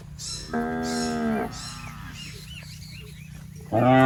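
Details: Healthy, tame cow wandering in a rice paddy and grazing on grass gives a steady, drawn-out moo, then a pause with faint chirping in the background, and a loud new moo starting at the end.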